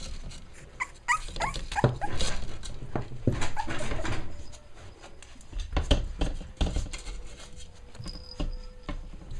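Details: Dolly's five-week-old puppies at play, letting out quick rising squeals and whines clustered near the start, then scattered yelps among thumps and shuffling, a low hum in the background.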